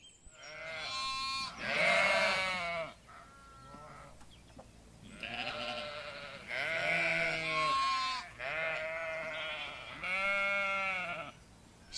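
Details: Sheep giving a run of loud, quavering bleats, one after another roughly every two seconds, each a rich nasal baa that wavers in pitch, with brief quiet gaps between them.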